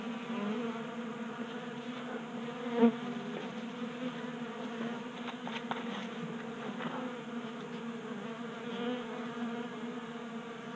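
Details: On a workbench in a Colorado garage, honey bees crowd a 3D-printed feeder in unseasonably warm January weather; a dense, even hum of wingbeats, a brief louder buzz near three seconds, then faint ticking.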